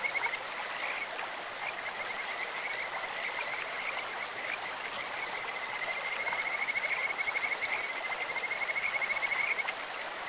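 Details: In a clear-flowing stream, Kajika frogs repeat short, high, bubbling trills at an even pitch, with the longest and loudest bout toward the end, all over a steady wash of water noise.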